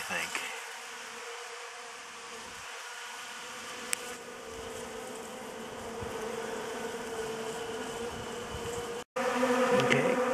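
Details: Honey bees swarm over a DIY pollen substitute feeder, producing a continuous low buzzing drone. A brief click and a short dropout interrupt it, then the buzzing swells louder near the end.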